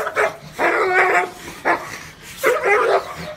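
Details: Dog giving deep, warm barks: a short bark, a long harmonic bark, another short one, then a final drawn-out bark, each with stacked tones.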